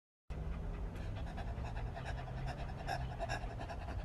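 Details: A Rottweiler pants in quick, breathy bursts, rough and steady, with a faint hum behind.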